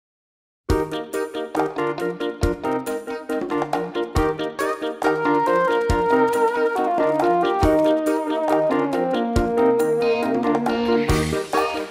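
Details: Upbeat instrumental music with piano, brass and synthesizer over a steady beat; no animal sound is heard.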